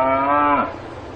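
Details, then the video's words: Cow on a farm: the closing part of a moo, held steady before sliding down and ending abruptly, followed by quiet low background hum. "농장에서 우는 소 울음 소리"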